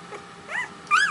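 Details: One-week-old puppies in a pile, restless while waiting for their mother to return; two short rising-then-falling squeals, the second louder and higher, over a quiet indoor background.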